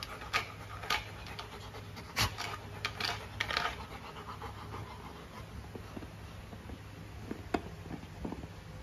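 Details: Pet Golden Retriever Luna reacting to a new carabao horn chew toy: quick panting mixed with sharp clicks and gnawing knocks, a steady low hum underneath.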